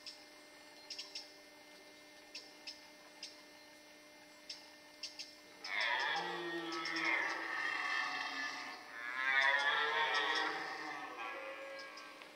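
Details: Red deer stag during the rut in the Forêt de Chaux, Jura, near Dole, where males fought and hinds gathered: after faint scattered ticks, a loud, deep, rasping roar swells at six seconds, breaks briefly, then resumes even louder before fading.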